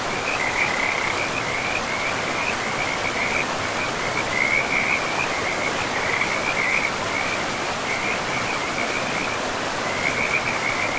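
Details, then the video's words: Frogs calling beside a river in a pristine forest: a steady chorus of short, bright trilled notes repeating every second or so, riding over the constant broad rush of flowing water. "River and Frogs sleep sounds"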